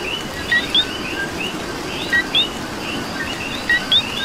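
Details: Three clear two-note calls from a coqui in Puerto Rico, spaced roughly every one and a half seconds, each a short lower note then a sharper rising chirp, layered over a constant frog chorus and light rain.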